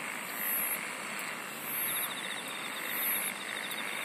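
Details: Chorus of singing insects, with three shrill high buzzy bursts spaced about a second and a quarter apart, a rapid pulsed trill joining in the second half, over continuous hissing background chirring.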